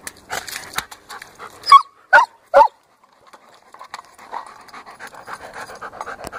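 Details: German Shepherd Dog at play with a large orange ball gives three quick loud barks in close succession. Rapid panting comes before and after them, with light scuffing noises.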